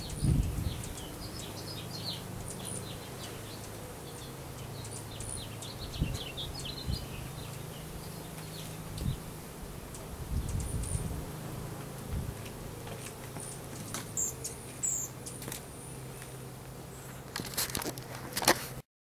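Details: Colony of Russian/Carniolan hybrid honey bees, roughly 10,000 with a queen, settling into a new hive during installation in April 2012; a continuous deep hum runs beneath scattered high bird chirps, clicks and handling knocks.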